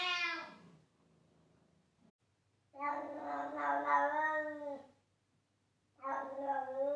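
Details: House cat meowing loudly: a short falling meow, then a long wavering two-second yowl, and another sustained harmonic meow after a silent pause.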